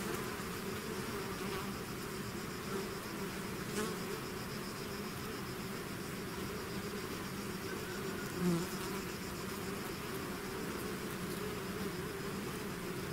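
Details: Natural buzzing of a bee swarm out of its hive: an even, layered drone of many wings, punctuated by a close bee whizzing past at about eight and a half seconds.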